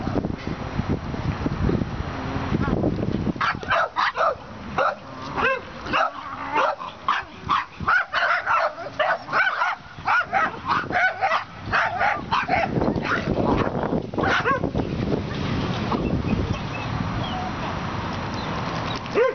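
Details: Moo, a rescued young female dog whose leg and hip grew wrongly after a calf stepped on her at nine weeks, learning to walk again; quick bursts of short, sharp yips and barks from about three to thirteen seconds, then steady background noise.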